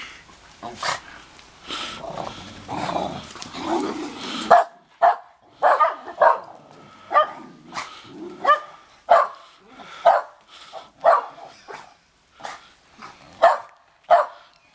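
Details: Dogs at a house in Big Bear during the first snowfall, reacting to the neighbours: after a few seconds of muddled noise, sharp harmonic barks ring out about once a second until the end.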